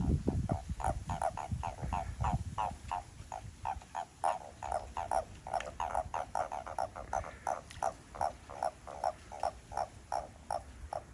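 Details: Toads calling in a lively group behind a house in Japan: a steady run of short, pulsed croaking notes repeated about two or three times per second, with low rumbling noise at the start.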